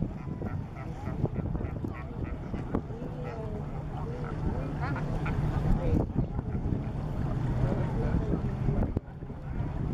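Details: Colony of brown fur seals at Walvis Bay, Namibia: dense overlapping bleating and wavering moans from many animals at once, with a constant low rumble of surf or wind and occasional louder barks throughout.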